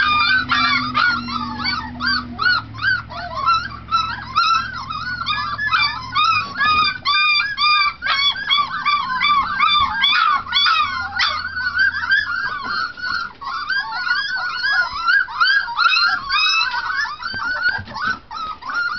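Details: Four-week-old Treeing Tennessee Brindle pups treeing on a food bowl: a chorus of many overlapping high yelps and squealing whines, rapid and nearly continuous, with a low steady hum beneath during the first seconds.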